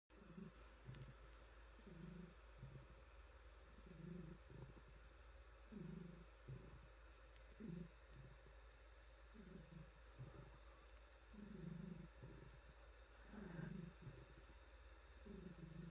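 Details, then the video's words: Frannie, a female pet cat, purring while being petted on her soft fur and stretching; low rumbling purr in rhythmic pulses roughly every two seconds, quiet throughout, with faint rustling of hands on fur. "Cat Purring"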